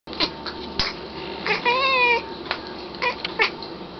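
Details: Black house cat indoors, upset by things it sees outside, gives short clicky chirps, then a wavering, trilled, warbling call about half a second long, followed by more brief chirps in a quiet room.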